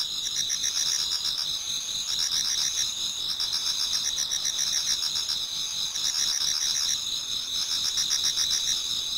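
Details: Autumn insects in a Japanese garden near dawn, many singing at once: continuous high-pitched ringing trills overlaid with rapid pulsing chirps that swell and fade every few seconds.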